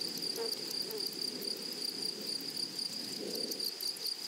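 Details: Continuous bright insect trill from grasshoppers in a flowering meadow, pulsing quickly and evenly, with a few brief low buzzing sounds passing through.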